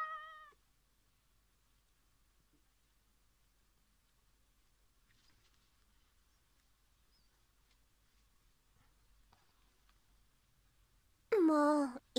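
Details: House cat at play, wanting a hidden fluff ball it likes to fetch for its owner to throw; a short meow at the start, a long quiet pause, then a loud, drawn-out, rising meow at the end.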